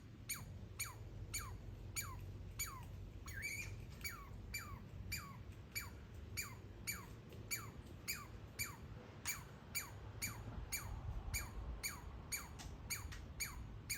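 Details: Baby squirrel living in a backyard walnut tree, making laser-like noises: sharp high chirps sweeping quickly downward, repeated about twice a second in a steady series over a low background hum.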